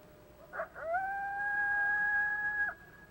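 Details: Coyote. A coyote gives a short yip, then slides up into a long flat howl that holds one steady pitch for nearly two seconds. The note barely wavers and falls off sharply at the finish.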